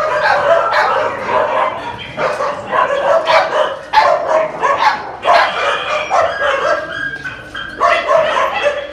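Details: Phu Quoc Ridgeback dogs of various ages bark and yip in quick, overlapping bursts.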